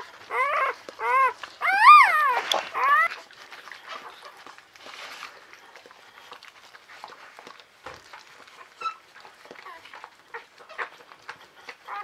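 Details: Newborn female Czechoslovakian Wolfdog pup from Orizon and Rahan's litter squeals in loud arched wavering cries for three seconds, then falls to faint rustling and small clicks; a soothing human voice speaks nearby.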